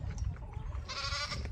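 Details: Goats at evening feeding on a farm while the kids are herded in: a short, nasal, wavering bleat of about half a second, heard over low rumbling and shuffling noise.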